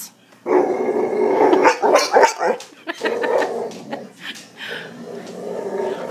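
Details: Indoors, a Boxer whose bark turned hiccup-like after puppyhood kennel cough alternates long rumbling growls with bursts of quick, choppy hiccuping barks, about three to four per second, with a person speaking briefly.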